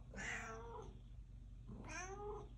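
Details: Indoor domestic cat asking to be let out: two strong, wailing meows over a second apart, each starting high and sliding downward through clear harmonics, over a constant low hum.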